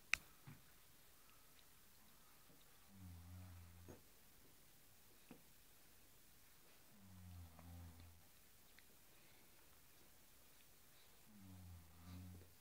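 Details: Cairn Terrier at play with a blue cushion indoors: three separate low, throaty growls, each lasting about a second, spaced roughly four seconds apart, with faint clicks and taps between them.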